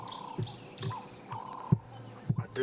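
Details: Leopard mother Karula calling on 24 December 2016, concerned that she cannot locate her cubs Hosana and Xongile. Deep, low rasping strokes come roughly every half second, with birds whistling and chirping behind.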